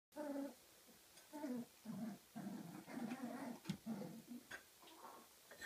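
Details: Kooikerhondje puppies, 34 days old, from a Swedish kennel, playing in their own activity room; a series of low growling, whining vocalisations in short bursts, some with clear harmonic tones, continuing throughout.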